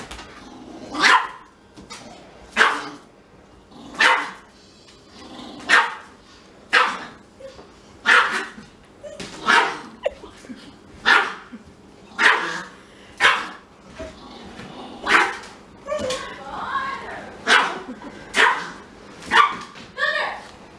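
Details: Siberian Husky crying because it is kept from smelling a little Pomeranian; harsh, yelping cries with strong harmonics, about fourteen bursts repeated roughly every one and a half seconds, with soft murmurs between.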